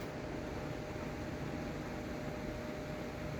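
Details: Only a steady mechanical hum, like a fan or air conditioner, with no animal voice. The low, even noise runs unchanged throughout.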